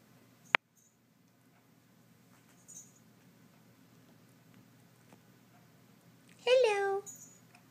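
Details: Young female stray kitten, newly adopted and kept indoors in a spare room, playing with toy mice. A sharp click comes early, then one short meow near the end that slides downward with rich harmonics, over a quiet room hum.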